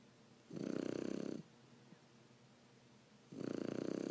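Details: Three-month-old Shar Pei puppy named Cappuccino asleep and snoring, his snores growing louder: a buzzy, rapidly fluttering snore of about a second, a pause with a faint snuffle, then another rattling snore begins.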